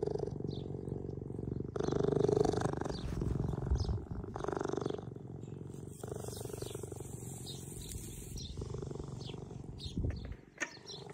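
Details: Two young orphaned cheetahs, which lost their mother at a few weeks old and are kept at a care centre, purr in a steady, rumbling drone that swells and fades over several seconds.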